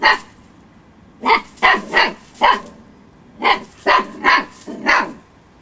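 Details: Storm, an 8-week-old female Husky puppy, barks while over-playful and having fun: bright, high yappy barks, a lone bark then a quick run of three, a pause, and a second burst of four.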